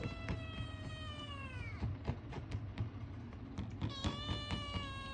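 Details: Indoors, a male Ragamuffin kitten meows for food: two long, gently falling harmonic meows, one at the start and one near the end, separated by rhythmic soft ticking about four times a second.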